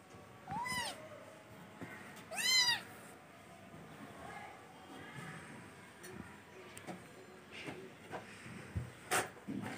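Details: Kitten indoors giving a short meow followed by a louder, strained one, then scattered clicks and rustling household noises.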